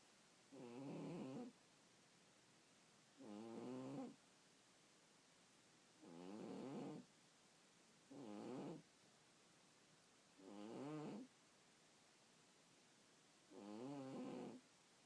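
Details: Sleeping cat snoring: six wavering, nasal rasps of about a second each, coming roughly every two to three seconds over a steady background hiss.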